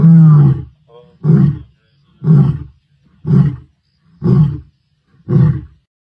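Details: Mbiri male lions, who stayed in the area after killing the Guernsey male, roar their presence near his carcass in Sabi Sands: a long opening moan, then deep booming grunts about once a second; lion.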